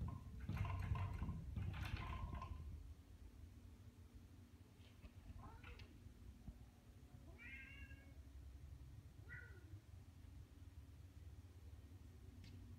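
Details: Two cats at a sliding door: loud rattling and scraping for the first three seconds, then a few short, faint, tonal meows spaced a couple of seconds apart over a low steady hum.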